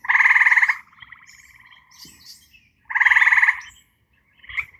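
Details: At night by a forest pond in northern Ohio, eastern gray treefrogs (Hyla versicolor) give two loud, musical slow trills about three seconds apart, each under a second long with distinct pulses. Fainter trills run between.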